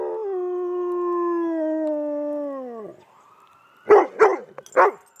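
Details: Dog answering an ambulance siren with a drawn-out, smooth, harmonic howl that slowly sinks in pitch over three seconds and cuts off. After a pause come three short, rough yelps or barks.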